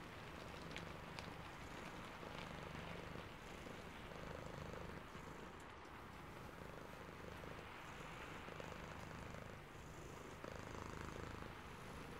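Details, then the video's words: Drowsy cat purring in the rain, faint rhythmic low rumbles rising and falling with each breath beneath a constant wash of rainfall. "Sleepy Cat + Purring and Rain Sounds ASMR"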